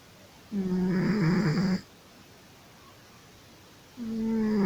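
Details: Sleeping domestic cat snoring: a low, voiced, buzzy snore lasting just over a second, then a quiet pause before the next snore begins near the end.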